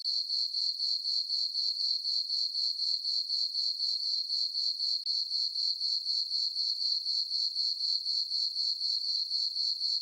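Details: Crickets chirping on a peaceful summer night in a farm meadow under a full moon: a steady, high, pure trill pulsing about four times per second, very even and unbroken, with no other sounds.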